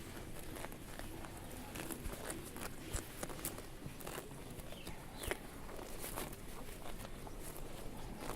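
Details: Cows eating grass outdoors, grazing: irregular crisp tearing and munching bursts spread through the recording over a soft rural background hiss, with a faint bird chirp partway through.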